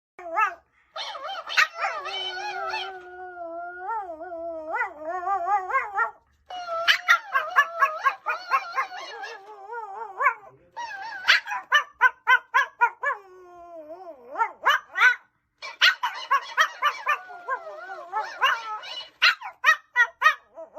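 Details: Fluffy male Pomeranian howling "aawoooo" in long wavering, rising and falling notes, broken by fast runs of sharp yips and barks repeated several times a second, then more drawn-out howls between bursts of yapping.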